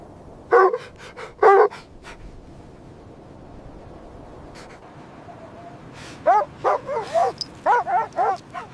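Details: Winter scene of puppies playing happily with their mother dog on snowy ground; two strong barks at the start, a quiet gap, then a lively burst of higher, bending yips and barks near the end.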